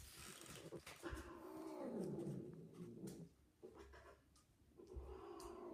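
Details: Female cat in heat, calling loudly during mating on a second attempt: drawn-out, harmonic, moaning yowls that sweep downward and then level off, with scuffling and bumping noises in between.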